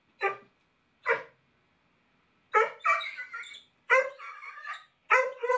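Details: A Basset Hound called Stinky in a no-bark collar barks twice with short clipped barks, then gives longer, drawn-out baying barks one after another.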